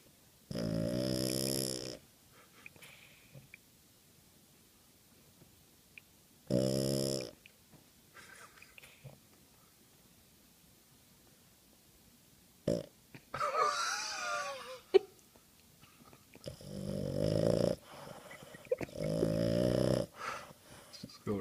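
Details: A sleeping Boston Terrier curled on a blanket snores in loud, rasping, buzzy bursts with long quiet gaps between breaths.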